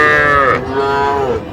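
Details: Young Sahiwal cattle, small bulls and heifer calves, at a Jamalpur cattle market in Bangladesh, 14 June 2025. A loud, clear calf bawl lasts over a second, with a short break after the first half second, and faint voices behind it.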